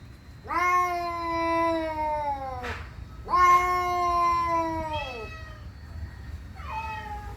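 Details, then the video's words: Indoor cat making weird, territorial, aggressive noises on seeing another cat outside: long, drawn-out, slightly falling moaning yowls, two sustained ones of about two seconds each, then shorter wavering wails, over a low room rumble. "make weird noises when he saw another cat outside"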